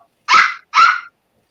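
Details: A little puppy barking at something indoors during a celebration after LSU's 42 to 25 win: two short, sharp yaps about half a second apart, then silence.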